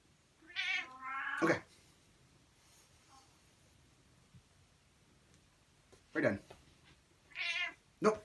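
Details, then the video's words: Demanding cat meowing at home, a long whining meow sliding into a second call, then after a pause several more quick meows in succession, with a person speaking briefly nearby. "My Demanding Cat!"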